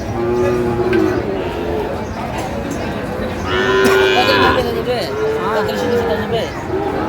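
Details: Sahiwal cattle, bull calves at a cattle market where Comilla farmers buy stock, 25 April 2025: a drawn-out, steady tonal moo, then a second longer low moo, over constant crowd chatter and speech.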